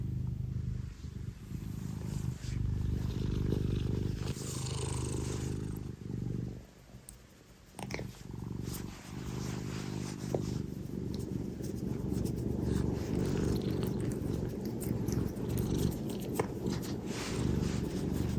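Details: Affectionate indoor Scottish Fold cat purring hard: continuous low rumbling purr, briefly fading and interrupted near the middle, then resuming strongly, with faint rustling and possible soft voices in the background.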